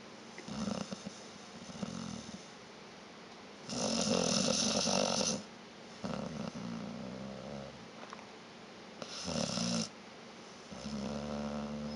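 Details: Sleeping pet dog Vita snores in a steady rhythm: low, vibrating, rattling breaths alternate with two loud, harsh rasping snorts, each roughly a second long, in a small quiet room.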